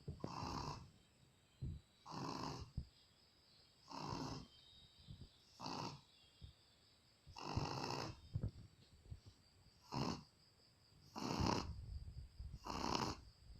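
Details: Shih Tzu named Luna snoring in deep sleep: breathy, rasping snores repeating roughly every one and a half to two seconds, each a short broad burst, with quiet gaps between and a faint steady hiss throughout.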